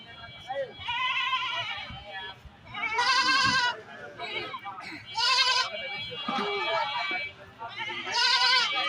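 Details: Goats at a village livestock market where cheap goats are sold, bleating in wavering, nasal cries of about half a second to a second, heard roughly every two seconds over men bargaining about prices in Bengali.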